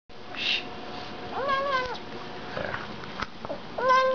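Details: Bengal cat named Myrra making sounds while eating: a short high squeak, then two harmonic meows with a brief rise and gentle fall, plus soft clicks and chewing noises between them in a quiet indoor setting.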